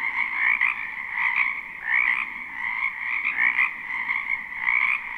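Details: In a spring wetland behind a home, a crowd of frogs keeps up a steady trilling chorus, recorded live. Louder croaks surge out of the constant buzz roughly every second, giving an uneven pulse.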